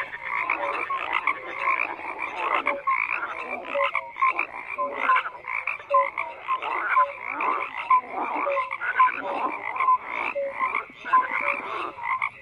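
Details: Many frogs croak together in an unbroken chorus, raspy pulsed calls layered thickly, punctuated by brief clear whistle-like notes recurring through the twelve seconds.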